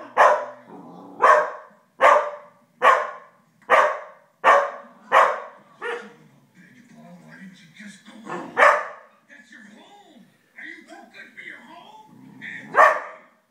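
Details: Koda, a 5-month-old Australian Shepherd, barks indoors at Happy Gilmore on a big screen, recorded on an iPhone: seven loud, sharp barks about one per second, then quieter speech and television sound with a few more barks.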